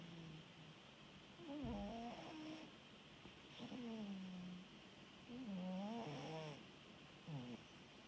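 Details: Rescued ginger tabby cat asleep and snoring: soft, wavering tonal snores that dip and level off, repeating every couple of seconds in a quiet room with faint background hiss.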